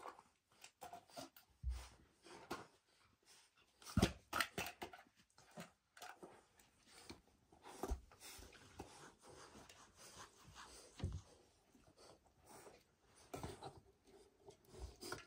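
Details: Rottweilers Smokey and his sister at a Halloween party. Short breathy pants and snuffling bursts come with an occasional brief whimper, spread irregularly over about fifteen seconds with quiet gaps between.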